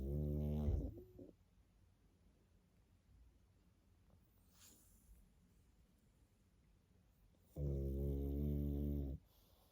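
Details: Young pug asleep, snoring: a low buzzing snore at the start, a long quiet pause with faint breathing, then another steady rumbling snore lasting close to two seconds.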